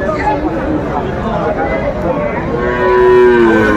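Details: Sahiwal cattle at a Faridpur cattle market in Bangladesh, on a Tuesday: a steady, low harmonic moo swelling near the end, heard over continuous crowd chatter and bargaining voices.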